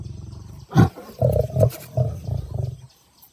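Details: Lion, an adult male whose cub keeps attacking his tail: a short, deep growling roar, one loud grunt followed by a series of rough, pulsing low bursts fading over about two seconds, outdoors.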